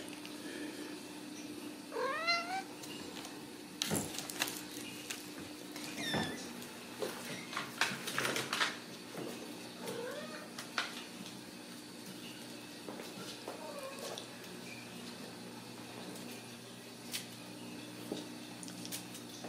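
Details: Ragdoll kittens raised in a home cattery in central Kansas without cages; several thin, high, rising mews come at irregular intervals over a steady low hum, with scattered clicks and knocks in between.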